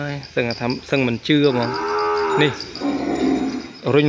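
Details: Calf kept apart from its mother cries for her inside a pen; short stacked bleats in quick succession, then a long, steady, nasal moo that bends downward, with a further bleat closing.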